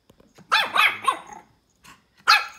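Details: Pomeranian puppy barking at a ball: three quick, high, yappy barks in a row, a short pause, then one more sharp bark. Faint rustling is heard between them.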